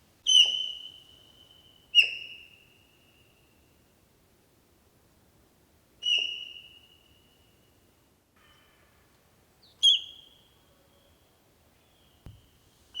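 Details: Wild sika deer whistling near Dobroplesy, Krasny Bor, 3 October 2015, reacting to danger and calling to one another: five piercing high whistles, each a sudden onset with a short trailing fade, spaced two to four seconds apart in a quiet setting.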